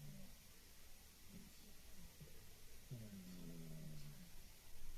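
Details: Sleeping female cat named Gigi giving a gruff, old-man-like snore: faint low murmurs at first, then a drawn-out buzzing, harmonic-rich inhalation lasting about a second and a half midway through.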